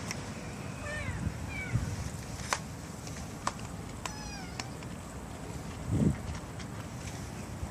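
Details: Young stray kittens from a four-sibling litter near a bus terminus give a few soft, falling meows spaced over several seconds, with sharp clicks and steady low background noise.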